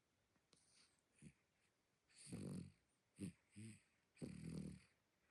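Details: Small dog asleep, snoring surprisingly loud: deep rasping breaths of about half a second each, with two quick snorts between them, in a quiet indoor room.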